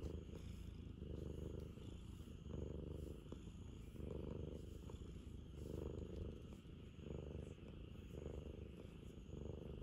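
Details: Ragamuffin cat looking for a cuddle, purring loudly and continuously in a deep, rapid rumble that rises and falls with each breath, about every one and a half seconds.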